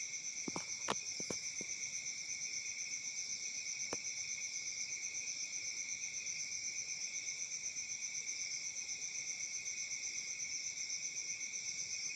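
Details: Crickets on a peaceful African summer night keep up a dense, ringing trill with a rapid, regular pulse. A few sharp clicks come in the first seconds, and one more arrives near four seconds.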